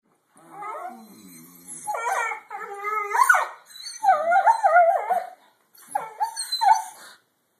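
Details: Collie puppies playing on a dog bed, recorded on an Android phone, giving wavering harmonic howls and yowls in several long bursts, pitch warbling up and down, with brief pauses between, in a quiet room.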